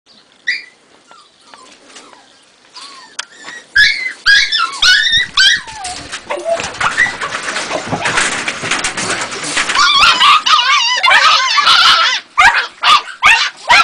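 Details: Ega, a two-and-a-half-month-old Jagdterrier puppy, gives a few soft whimpers that swell into bursts of high, wavering yelps, broken by a stretch of broadband rustling noise in the middle.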